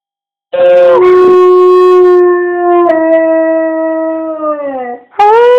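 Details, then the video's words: Pet dog howling when prompted by its owner: one long, steady, mournful note that drops early, holds, then sags lower before a fresh howl begins near the end. "Making my dog howl"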